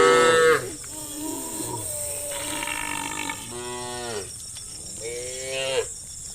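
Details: Herd of farm cows moving towards a pen with shepherds: a loud moo opens, then several overlapping moos of different pitches follow in a row, with a constant high hiss behind.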